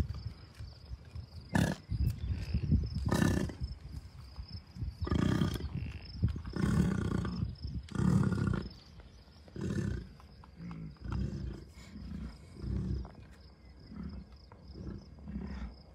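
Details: American bison herd of many cows, a few bulls and dozens of calves at Rocky Mountain Arsenal Wildlife Refuge, Commerce City, Colorado, June 2, 2022; deep rumbling grunts come in irregular bursts every second or two, with some wind noise.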